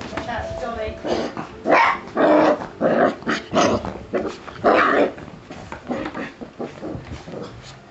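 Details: Six-week-old Springer Spaniel pups giving short, loud yapping barks and growls in irregular bursts, several close together, with a person talking over and between them.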